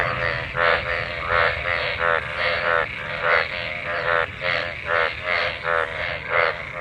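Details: After monsoon rain, a crowd of mating frogs in pooled water gives grating, pulsed croaks in quick bursts, several voices overlapping in an uneven rhythm.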